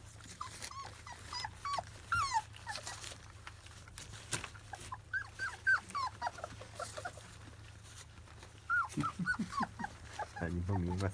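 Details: Field-type Labrador Retriever puppies, 25 days old, around their first weaning meal: a stream of thin, high, rising squeaks and whimpers, several each second, some short growl-like grunts near the end, over a steady low hum.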